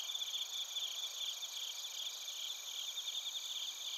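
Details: Chorus of bell crickets and crickets from Narita, Chiba, Japan, recorded with a TASCAM Portacapture X8. Several high-pitched trillers overlap in an even, continuous ringing shimmer with a faint, rapid pulsing beneath.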